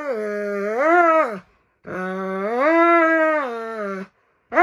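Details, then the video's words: A pet Dobermann named Roman wailing through a nail clipping: two long, loud howls that swell upward in pitch, hold and sink back down, separated by a short pause, a third starting at the end. "시바견보다 엄살심한 도베르만 발톱깎기(고막주의)"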